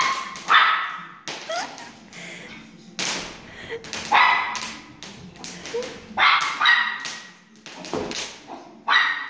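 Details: Chihuahua barking indoors in loud, sharp bursts, each a bright yelp repeated roughly every second, mixed with taps and clatter between barks.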